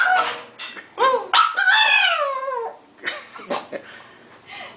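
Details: Indoor dog gives a funny howl: a short yelp, then one drawn-out howl that swells and slides steadily downward for over a second, followed by a few scattered softer yips and a voice.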